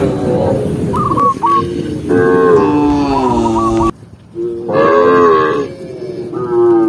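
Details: Cows being herded as they run happily down a green hill low in long, harmonic moos, several overlapping calls with short pauses between.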